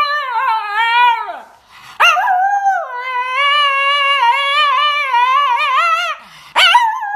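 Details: Young puppy giving long sustained howls, each sliding down at the end, with a sharp yelp-like onset before the second and third; rich, wavering, singsong tone, nothing else audible.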